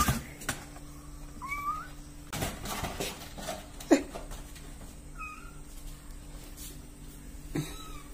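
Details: Domestic kitten, one of three growing kittens aged 24 to 32 days, indoors: thin, high meows that rise then level off, three spaced calls across the clip, among soft thumps, rustling and handling clatter.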